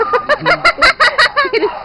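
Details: Four-day-old Saint Bernard puppy, a baby of the dog Josef, lets out a rapid run of about nine high, whiny squeals, some five per second, each with a slight rise and fall.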